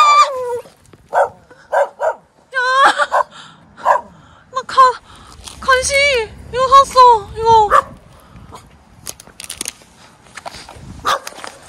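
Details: A puppy at a campsite in a mountain village in Jecheon, South Korea, on a frozen winter day of minus 16 degrees, barking at a woman handing it snacks. It gives a rapid series of sharp, high yelping barks, many rising then falling, with quiet gaps.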